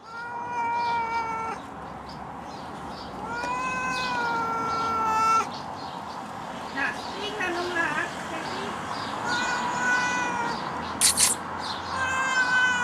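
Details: Domestic cat stuck up a tree, meowing in long drawn harmonic wails, some rising then level, with gaps between calls and faint rustling and other background sounds.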